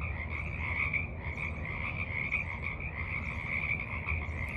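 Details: Evening frog chorus at a forest pond, recorded from a rock at the water's edge on March 28, 2023: dense overlapping pulsed trilling, steady and continuous, over a low rumbling background.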